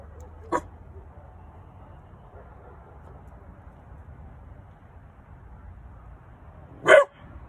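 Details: Young Weimaraner puppy, three months old, barking on night watch at home in Oklahoma: a faint brief yip early, then one loud, abrupt bark near the end, with quiet background hum between.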